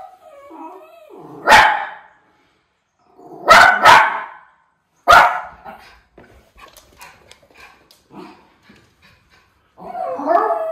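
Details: A Miniature Schnauzer keeps watch for crows outdoors in Aroostook County, Maine, on an August day, giving loud, abrupt barks singly and in pairs every one to two seconds, with quieter whines and yips in the gaps.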